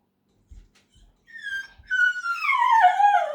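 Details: Male dog whining after being left behind during a quick trip to the mailbox, fear of missing out: after a few soft taps, a tonal whine rises, then slides steadily downward in a long, drawn-out wail.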